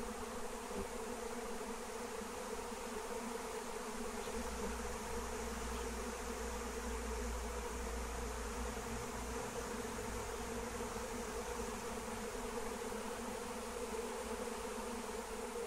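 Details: Flying wild honeybee swarm drawn in with Melissa plant (lemon balm) during capture: a continuous, even drone of many bees, layered low hum holding steady throughout, with a soft rumble underneath.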